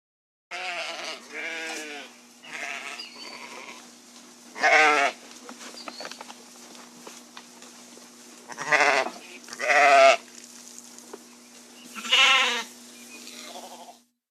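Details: Sheep producing a long run of bleats, soft and loud quavering baa calls at irregular intervals over fourteen seconds, the loudest bursts near five, nine, ten and twelve seconds, above a steady low hum.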